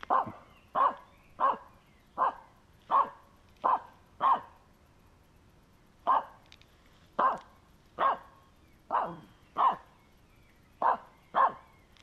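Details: Finnish Spitz harassing a squirrel that moved, late in a May walk: rapid run of seven sharp barks, a brief pause, then eight more in quick succession, each short and ringing, fairly even rhythm.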